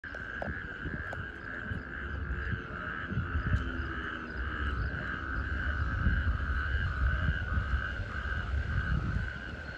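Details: A chorus of male natterjack toads (Epidalea calamita) calling for females gives loud, steady rattling trills merging into a continuous churring drone, from rainwater pools in a parking lot at a coastal resort near Barcelona, Catalonia.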